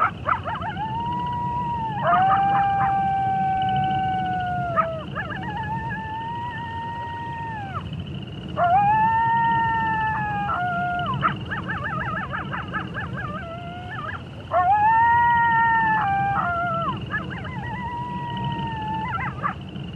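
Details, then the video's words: Several wolves howling together in long sustained, slightly arching tones, overlapping voices rising and falling in waves every few seconds with short yelping breaks, above a steady low background rumble. "Wolf Sounds"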